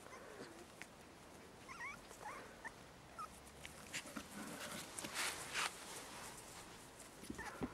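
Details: Medium German Spitz puppies outdoors: a few short, thin whimpering yips in quick rising and falling slides around the second mark, then soft rustling and scuffling sounds with faint footsteps in the background.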